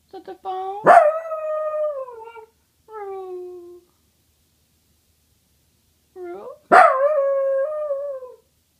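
A basenji mix yodels twice, each baroo opening with an abrupt yelp that eases into a long, warbling, slowly falling tone. Shorter rising whines come between the two main calls.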